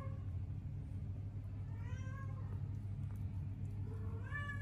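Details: A Sphynx cat caring for newborn kittens meows, short rising-and-falling cries repeated over a steady low hum; Sphynx cat.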